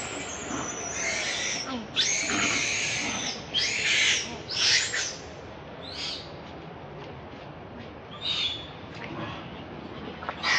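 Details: Baby monkey named Leo, hungry and crying to beg its mother for milk; high, strained screeching cries come in bursts of one to two seconds with short pauses between, over a steady hiss of background noise.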